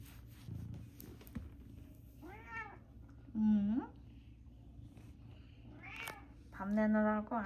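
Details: Pet cat in a home in Canada gives several drawn-out, wavering meows, some rising then falling, spaced a few seconds apart, with people talking quietly in Korean in the background.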